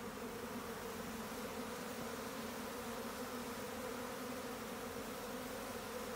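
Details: Swarming Japanese honey bees making a steady, even, low droning hum that holds unbroken throughout, with a soft hiss in the background.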